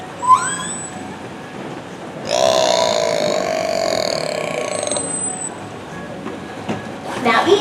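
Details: A killer whale at SeaWorld San Diego on 9 January 2017 (Corky or Ikaika) vocalizes through its blowhole, a brief rising whistle, then a long, buzzy, nasal call rich in overtones.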